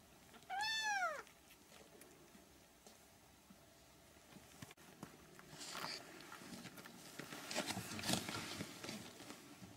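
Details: A single bright, arching squeal of a three-week-old Siamese kitten opens the recording, followed by a long stretch of rustling, scratching and handling noises as the kittens move about.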